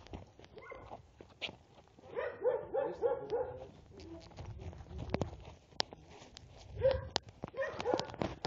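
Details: Serbian defense dog puppies, 75% Serbian defense dog and 25% American bulldog, aged two months and eight days, defending territory and reacting to provocation: bursts of high, harmonic yapping barks in rapid runs, with scuffling and handling noise between.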